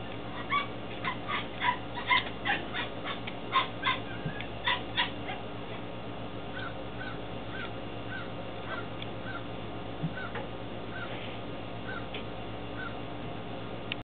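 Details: Belgian Malinois Shepherd puppies, 10 weeks old, Williston, Florida, late April 2015. A rapid string of shrill yips and squeals fills the first five seconds, then fades to scattered faint whines over a steady hum.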